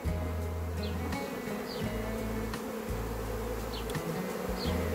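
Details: A natural swarm of Western honey bees (Apis mellifera) leaving a hive fills the air with a dense, low, steady hum that wavers in and out.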